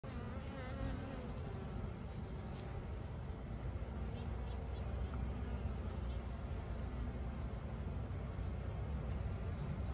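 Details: Western honey bee colony, Apis mellifera, living inside a home in Gilgit Baltistan, Pakistan; a steady dense low hum of many bees throughout, with faint higher whines passing.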